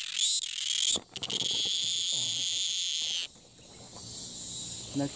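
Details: Cicada in Thailand that repeatedly flies to new perches and restarts its call on landing, filmed from afar: a brief buzzy burst, then a long, steady, high-pitched drone lasting about two seconds before fading, with faint rustling underneath.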